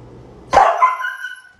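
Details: Siberian Husky, described as crazy and hyperactive, giving a sharp bark that runs straight into a drawn-out, tonal howl-like note, steady then slightly falling and fading over about a second. A person's voice is heard faintly beforehand.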